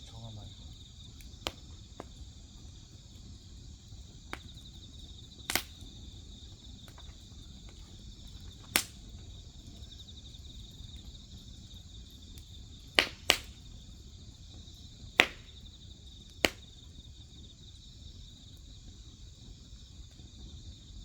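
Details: Grass insects chirping beside a crackling wood fire: a steady, unbroken high-pitched trill with a fainter, even higher shimmering layer, punctured by scattered sharp pops and snaps from burning firewood.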